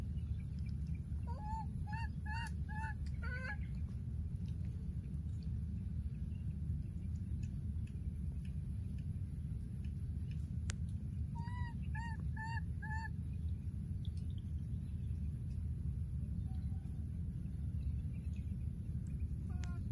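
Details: Baby monkey in the wild, separated from its playmate, gives bursts of short, evenly spaced yelping cries, four or five at a time, with long gaps of low rumbling background noise between them.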